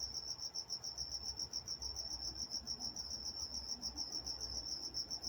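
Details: In Walnut, California at night, crickets keep up a rhythmic, piercing chirp, each pulse closely following the last in a steady beat.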